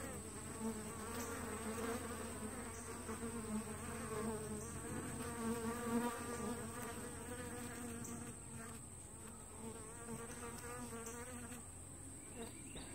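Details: Entrance traffic at a two-week-old honey bee hive split: a dense, continuous humming drone of many bees, swelling and easing slightly, with brief closer fly-by buzzes over a faint high steady tone.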